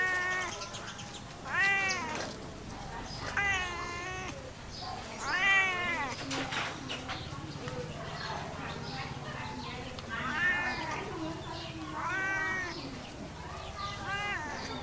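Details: Cat meowing repeatedly in short, arched, rising-falling cries spaced a couple of seconds apart, softer and partly blurred by continuous background noise.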